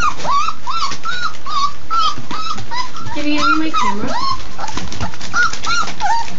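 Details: Labrador Retriever puppies at their first real meal, letting out many short high whimpers and yips, rising and falling, overlapping each other at a quick rate, with chewing and feeding noise beneath.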